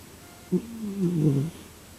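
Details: Sleeping cat giving a single snore: a brief catch, then a one-second low, wavering, gently falling rasp over quiet room hiss.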